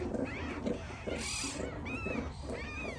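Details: A litter of five newborn meerkat pups, just born to their mother in a farm meerkat pen, give thin, high squeaky calls that rise and fall, repeated several times; heard from the den before the pups are seen.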